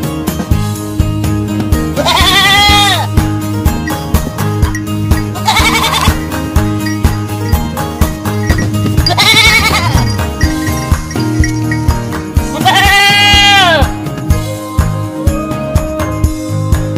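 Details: Four drawn-out goat bleats spaced a few seconds apart, each quavering and sliding downward, with rhythmic music playing throughout.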